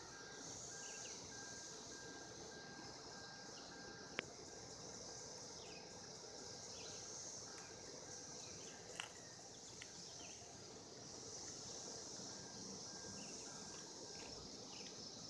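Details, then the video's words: A mating cicada chorus from 2016 keeps up a long, level, high buzz, with scattered faint bird notes and a few isolated clicks. "Cicadas 2016 mating"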